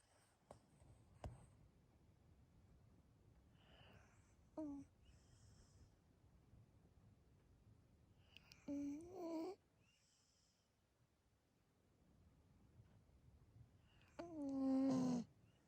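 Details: Seri, a Corgi sleeping soundly indoors on 26 October 2020, gives three soft whistling snores roughly five seconds apart, each a short falling nasal whine over breathy hiss, with near silence between.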